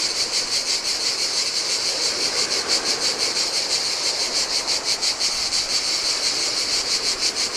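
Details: Cicadas singing in the heat on a deserted beach on Lefkada, a Greek island: loud, continuous high buzzing that pulses steadily, with a soft wash of sea surf beneath.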